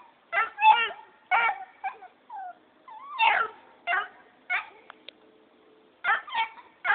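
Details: Black and Tan Coonhound puppy barking as its owner leaves; a run of high, wavering yelps and whiny barks in quick bursts, some rising then falling, with brief pauses between groups.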